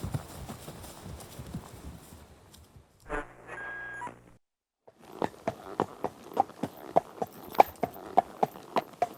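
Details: Horse galloping: muffled hoof noise at first, a short tonal burst, a pause, then crisp, evenly spaced hoof strikes about three per second, growing louder.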